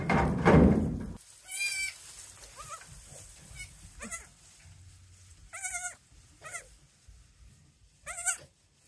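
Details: Newborn goat kids in a goat barn calling for their mother, who has no milk and rejects them; a bump at the start, then several short wavering bleats, some loud, some faint.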